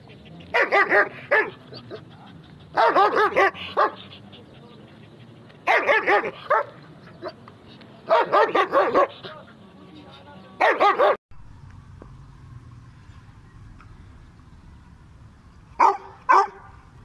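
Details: German Shepherd dog of the Gulter Bhully Tazi type in Peshawar, barking in bursts of several rapid harsh barks roughly every two to three seconds, then a quieter pause with background hum and two final short barks.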